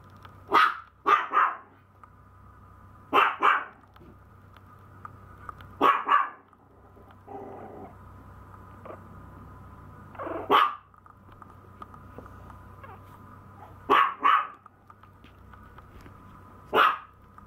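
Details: Maltese puppy giving short sharp barks, singly and in quick pairs, spaced a few seconds apart, with a steady low hum underneath.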